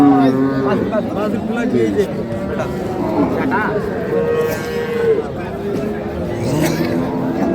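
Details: Dairy cows of Sahiwal, Sindhi and local breeds, with calves, at Khochabari cattle market in Parbatipur, Dinajpur, on 19 January 2026. Drawn-out, steady low moos rise above the continuous bargaining chatter of buyers and sellers.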